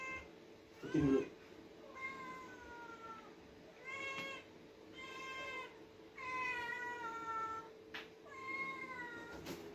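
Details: Two pet cats, one ginger and one white, being fed, calling so noisily they sound like many: loud drawn-out meows repeated every one to two seconds, with a low steady hum and a person talking.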